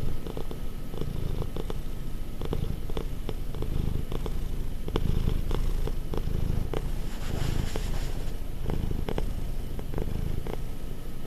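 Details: A clingy, affectionate pet cat, almost five years old, purring indoors: a steady low rumbling drone throughout, with faint soft clicks and rustles.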